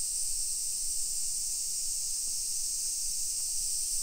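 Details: A dense, even hiss of summer cicadas fills suburban Nisshin near Nagoya, Japan, at 1 PM on 28 July 2021; the high drone stays level for the whole stretch with little else audible.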